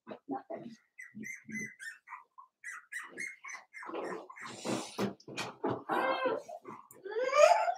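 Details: Four-week-old Cavalier King Charles Spaniel puppies from Daisy's litter in their indoor pen give a series of short, thin, high squeaks, then louder mixed whimpers and rustling. A rising squeal comes at the end.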